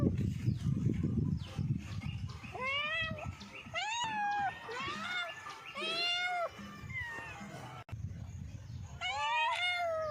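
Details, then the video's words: Domestic cats meowing in a short compilation: about six clear, tonal meows, each rising then falling, some clipped and some drawn out, with one quick double call near the end, set against low rumbling background noise and an abrupt cut. "funny and cute cats meowing complation"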